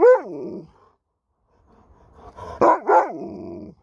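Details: Alaskan Malamute Sherpa answering his owner back: a falling moaned syllable opens, then after a quiet pause two loud wavering woo sounds and a long sliding groan, clear and harmonic indoors.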